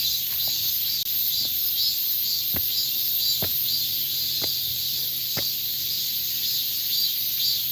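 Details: In late summer morning in a Seoul temple's wooded grounds, a chorus of male cicadas gives a constant, shrill, pulsing high drone, calling for mates since night; females cannot sing. Soft knocks and clicks sound briefly underneath.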